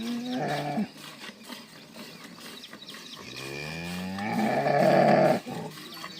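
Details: Jersey cow from a dairy farm selling milk cows, mooing repeatedly: a short low call is cut off, then a long moo begins deep, rises and swells into a loud, strained bellow that ends suddenly.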